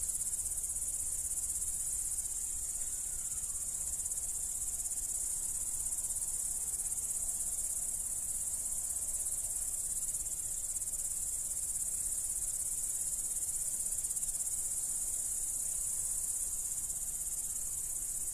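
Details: Crickets from the Dominican Republic in a gentle, steady chorus: a continuous shrill, high-pitched trill that never pauses, over faint low rumbling background noise.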